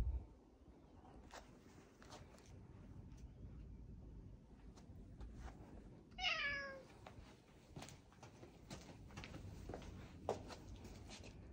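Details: Cat walking side by side with its owner in a park in Adachi, Tokyo, on December 2, 2022, trying to jump on them: a single bright meow with rich harmonics mid-clip, amid scuffing footsteps and steady low background rumble.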